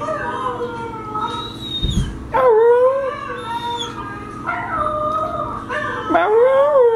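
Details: Two household dogs answering a recording of other dogs, with long, wavering howls that rise and fall, several overlapping, and a brief rumble of movement near the start.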